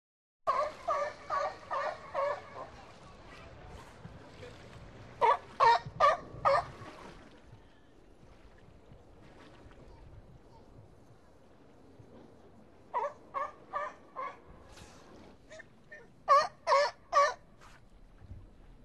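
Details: California sea lions at the Bronx Zoo give hoarse, honking barks in quick runs, separated by short pauses.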